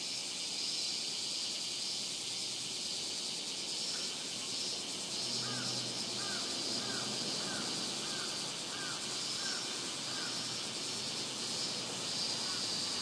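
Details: Robust cicada singing at Rokugo Shrine, Ota Ward, Tokyo, Japan, captured on a Sony PCM-M10 recorder: a dense, high, buzzy drone pulsing rapidly and steadily throughout, with faint lower chirps recurring about every second in the middle.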